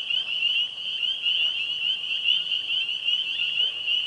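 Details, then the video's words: Springtime evening frog chorus at a pond with tree frogs, spring peepers and green frogs: a dense, continuous wall of high, shrill peeping notes overlapping steadily, with occasional soft lower notes beneath. "Springtime Frog Sounds"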